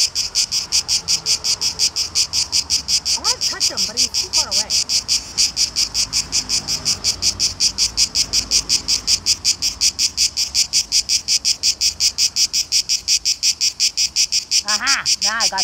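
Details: Summer chorus of male cicadas (tzitzikia) in Greece, loudest in the hottest part of the day, calling for mates: a dense high rasping buzz throbbing in steady quick pulses, with a few brief chirping calls from other creatures.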